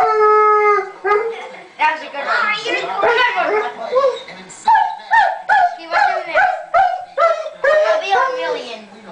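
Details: A Weimaraner missing his best friend, who had left for an outing, howls with a long, steady tone, then a run of wavering, broken wails.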